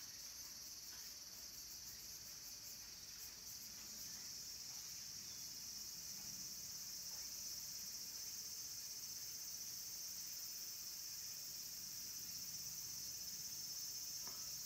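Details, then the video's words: Near the end of the Japanese summer, a dense cicada chorus fills the forest at the mountain temple of Kabusanji in Takatsuki. The high, steady buzzing hiss goes on without a break and grows slightly louder over the recording. "Cicadas' voice"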